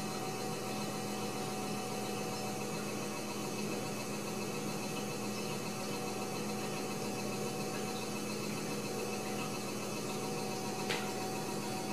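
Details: Steady electrical mains hum with constant broadband hiss fills a small indoor room, broken only by a single faint click near the end.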